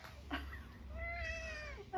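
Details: Eric, a UK long-haired tabby nearly 12 years old, gives a short chirp followed by a long, level, gently wavering meow lasting about a second, with low room hum beneath.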